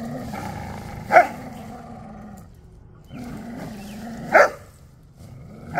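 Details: Growling during play between a Chow Chow and an Australian Shepherd. Steady low rumbles break into short, loud bark-like bursts about every three seconds, with a brief pause between growling bouts.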